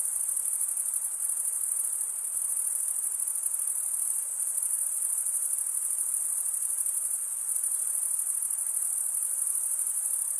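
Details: Steady chorus of stridulating crickets, males rasping wing against serrated wing vein: a shrill, continuous trill at unchanging pitch and volume, nothing else standing out above a quiet hiss.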